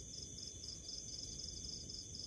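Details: House cricket chirping: quiet, high, pulsed chirps in short bursts, repeated several times a second, with a steady thin high whine underneath and a low background rumble.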